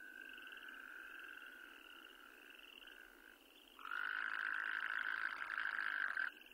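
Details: Endangered Wyoming toad calling. A loud, even, buzzy trill begins after almost four seconds and holds for about two and a half seconds. Softer, more distant trills continue through the opening seconds.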